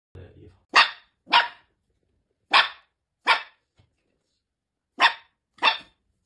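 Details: Puppy giving six short, sharp, high yaps, mostly in pairs about half a second apart, with pauses of over a second between pairs; a faint low rumble comes just before the first yap.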